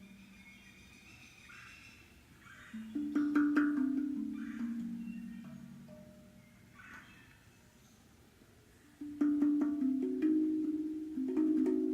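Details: Mellow mallet-percussion music with wood-block taps plays throughout, and no animal voice can be picked out.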